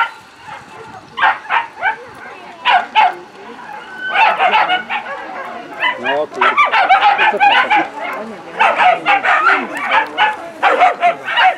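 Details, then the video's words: Female whippets at final A of the 2019 Grand Prix Polski race in Bytom, Poland; bursts of sharp, high, excited barks and yips come in rapid clusters, with short pauses between, over crowd voices. "finał A whippet suka"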